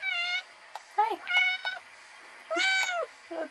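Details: Pet cat Tasha and her kittens in a basket: high, clear kitten mews in short bursts, one at the start and a longer wavering one near the end, with a woman's greeting voice between them.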